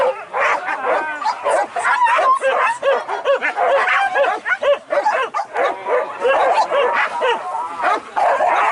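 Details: Trained hunting dogs used to track and hunt wild boar during a PORBBI boar hunt in Anyer, Banten, Indonesia; dense, continuous overlapping barks and yelps from several dogs, with no pauses, and some human voices mixed in.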